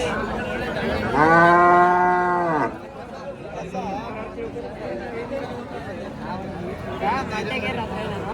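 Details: Hallikar cattle at the weekly market in T. Narasipura on 10 August 2026: one strong, steady moo lasting over a second, ending abruptly, followed by people talking and general market chatter.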